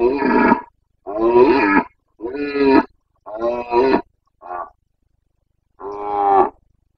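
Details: Carpathian red deer stag roaring (boncănit) during the breeding season in the forests of Bucovina, Romania, 29 September 2022. Six deep, hoarse, harmonic roars about a second apart, the fifth short and faint, the last long and strong.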